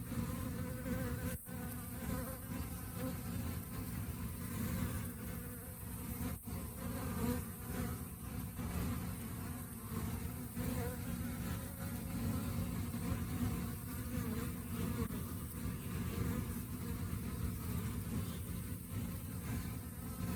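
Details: Rainy-season honey bee colony relying on stored food; a long, unbroken low-pitched humming drone with gentle rises and falls in volume and occasional faint clicks.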